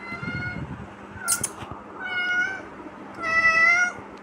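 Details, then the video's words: Kitten uttering three high meows, a brief clipped one then two longer drawn-out ones, with a soft low rumble and small clicks behind. "The Kitten Father 😍 Saying Meow 😂 Cat Meowing"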